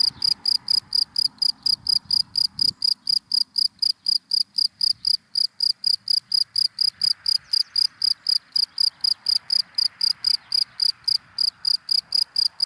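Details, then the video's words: High, regular chirps of a cricket in dry grass by day, about two per second, over a continuous broad wash of passing car noise and low rumble. "Sound of Cricket in Dry Grass in the Daytime"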